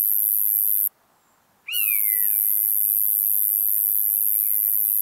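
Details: Roesel's bush-cricket recorded at Maising, Germany, on 8 July 2020: a continuous, very high, hissing buzz that cuts out briefly, while a bird gives a loud descending whistle and a later fainter whistled note.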